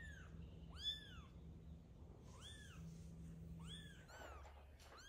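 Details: Meowing while a mother cat carries her kitten to safety: three or four clear, high mews rising then falling in pitch, spaced about a second or more apart, with a soft low hum beneath.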